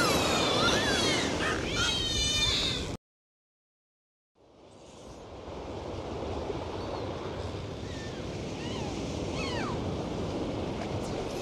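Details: Underwater dolphin sounds: a dense cluster of wavering, looping whistles at the start, a sudden break into silence, then faint scattered whistles and upward sweeps returning beneath a constant wash of water noise.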